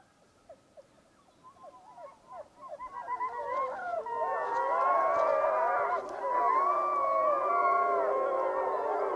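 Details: Wapiti Lake pack wolves gathering for a group howl: short yips and broken yelps swell into a rich chorus of many overlapping, wavering howls that rise and fall together, growing louder and denser toward the end.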